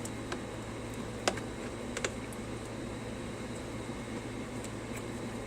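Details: Indoor room hum with a few soft clicks and taps like typing; no animal sound is heard.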